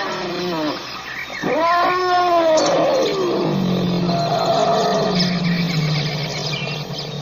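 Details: African elephant calling with tonal, wavering cries that rise and fall, turning into a harsh roar. A steady low rumble follows, with faint bird chirps overhead.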